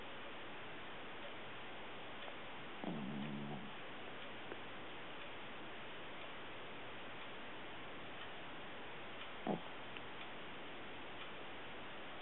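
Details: A puppy asleep gives a brief nasal, wavering snore early on, then a single sharp snort several seconds later, both over constant static hiss.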